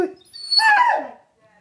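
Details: Female Rhodesian Ridgeback, 21 months old, indoors, gives a short, rough whining yelp lasting under a second while her owner repeatedly urges her to be cute.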